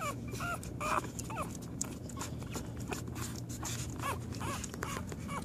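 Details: American Pit Bull Terrier on its first day: faint, brief high whimpering squeaks, some arching up and falling, scattered irregularly over a steady low background hum.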